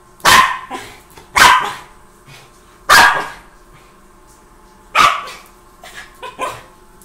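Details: Pomeranian, also called Indian Spitz, a pet dog named Tommy, barking while playing: five sharp, bright barks spaced about one to two seconds apart, each short and loud with a couple of softer yips after the last.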